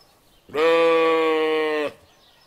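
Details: Single sustained lamb bleat, level and strongly harmonic, lasting about one and a half seconds before stopping sharply, in an otherwise quiet setting.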